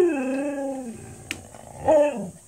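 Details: Seven-month-old male Siberian Husky 'talking' on request, said to be saying hi: a drawn-out wavering howl sliding downward, a short pause with a faint click, then a second brief rising-falling yowl.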